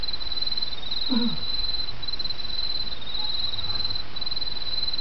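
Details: Insects singing in autumn beside a small brook, a high thin trill pulsing in sections of about a second, with the stream's steady murmur and one brief lower call near the start.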